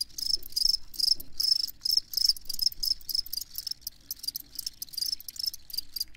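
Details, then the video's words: Crickets calling in quick, bright chirps, bursts of shrill trilled pulses coming about two to three times a second, loud and close, with a soft low murmur underneath. "Crickets Chirping"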